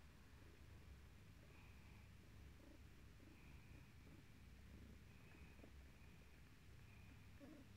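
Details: British shorthair cat purring while looking for something indoors; a steady, low, rumbling purr runs through the whole stretch with soft rustling and faint higher whining streaks in the background.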